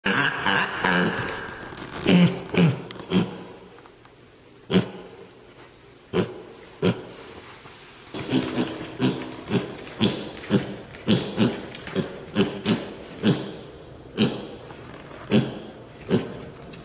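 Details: A male mini pig gives his everyday oinking, short, low, snuffly grunts and oinks, some in quick runs and some spaced apart; he does this most of the day, seemingly "talking" to his owners.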